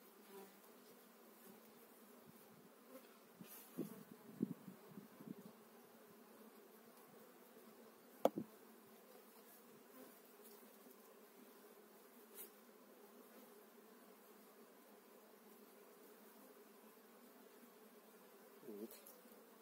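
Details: Honey bees from an eight-frame colony being transferred into a new hive in spring, 2018; a steady low hum of many bees fills the recording, with occasional clicks and brief knocks from handling.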